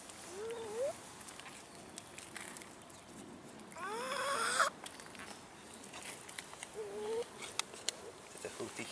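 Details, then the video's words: Abandoned cats in a city park begging for food: several separate rising, thin meows, one near the start, a louder, longer wavering one midway and another later, against quiet outdoor background with faint clicks and rustling. "ABANDONED CATS IN OUR CITY PARK BEGGING FOR FOOD"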